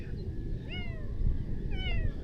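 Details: Hungry stray kitten being fed fish gives two short, high meows, each arching up then falling, about a second apart, over steady low rumbling background noise.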